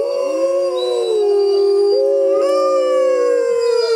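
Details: Six Arctic wolves howling together, smooth sustained tones gently falling then stepping back up, with higher and lower voices overlapping in a continuous chorus.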